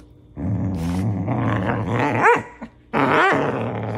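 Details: Doberman Pinscher puppy growling during play fighting: a rough, low rumbling growl broken by two sharp, rising yelping barks near the middle and end.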